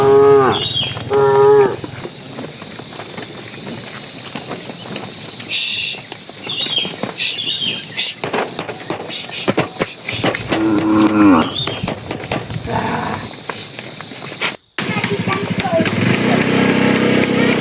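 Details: Tame cattle walking toward their pen, a bull calling to the cows: long, harmonic, drawn-out moos at the start and again near the middle, over steady clattering and rumbling noise.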